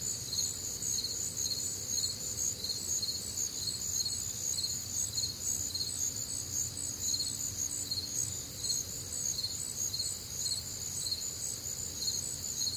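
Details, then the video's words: Night chorus of crickets on a warm, humid summer night in the Midwest: high-pitched chirps pulsing roughly twice a second over a continuous shrill ringing, with soft low background noise. "Night Time Cricket Sounds"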